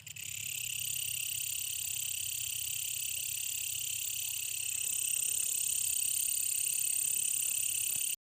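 A brown katydid gives a harsh, continuous high-pitched buzz that holds steady without a break.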